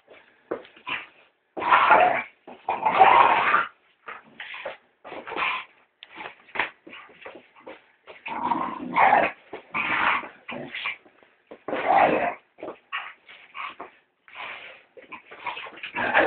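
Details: Female pet Staffordshire terrier attacking a house brush during housework, giving a long series of short, rough, harsh growling bursts with brief gaps, some louder snarling outbursts, fairly continuous over the whole stretch.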